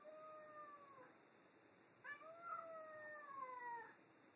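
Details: Tammie and Cheddar, two household cats, squabble over a new toy with long drawn-out meows, one falling cry followed after a pause by a louder, rising-then-falling wail.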